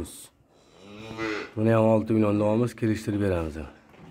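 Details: Russian Simmental calves for sale, housed indoors: a faint high squeak, then a series of deep, throaty moos bellowed in quick succession with wavering pitch, briefly interrupted by a sharp click.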